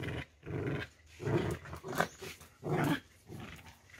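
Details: Domestic dogs playing in a kennel at noon, one golden dog repeatedly being bitten by another; rough, throaty growls come in short bursts roughly every second, with pauses between them.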